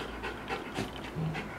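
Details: Golden Retriever with heat stress after being walked about 20 minutes from Bishan along Lorong 8 Toa Payoh to Toa Payoh Vets; quick, breathy, rhythmic panting bursts, several within under two seconds, over a low room hum.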